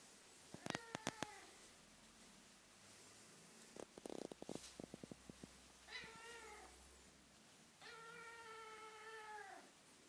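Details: Female Ragdoll-Birman kitten doing her 'singing exercises': a short meow among quick tapping clicks, a flurry of sharp knocks, then two drawn-out, slightly falling meows, the last lasting over a second.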